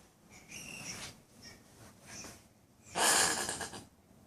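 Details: Weird noises from a couple of common brushtail possums in a tree in front of a unit in Brisbane: thin wheezy whistled notes, then a loud harsh hissing rasp lasting nearly a second.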